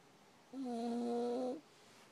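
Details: Chewie, a worn-out sleeping puppy, gives one drawn-out nasal snore lasting about a second, a steady humming tone with clear overtones, in a quiet indoor room.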